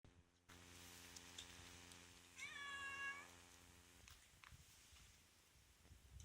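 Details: Calico cat giving a single drawn-out harmonic meow lasting under a second, rising slightly then falling, over a steady low electrical hum with faint clicks and rustles.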